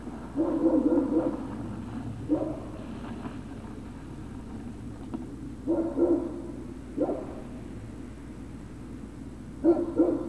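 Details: Whining Great Dane puppies at Puppy Hill, recorded 03-06-2019 in the afternoon. Short nasal whines and yips come in irregular bursts every one to three seconds over a steady low hum.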